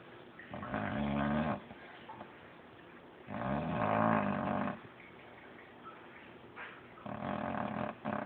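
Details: Sleeping dog snoring indoors, three long rasping snores with low harmonic buzz, each lasting over a second, separated by quiet pauses of about two seconds.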